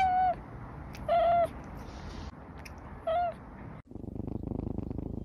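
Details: House cat from a Douyin compilation giving three short, clear mid-pitched meows about a second or two apart, followed by a steady pulsing low purr in the last second and a half.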